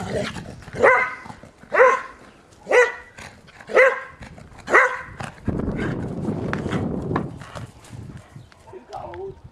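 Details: Five evenly spaced barks, roughly one per second, from an 11-year-old springer spaniel playing in snow, followed by a stretch of low rumbling noise and a faint voice near the end.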